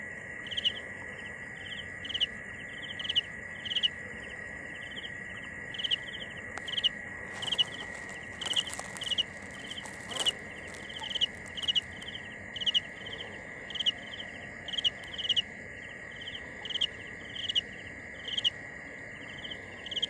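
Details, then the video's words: Cricket chirping in short pulsed bursts, about two per second and fairly regular through the recording, over a steady lower-pitched continuous whine and some brief crackling noise near the middle. "Tiếng dế mèn gáy"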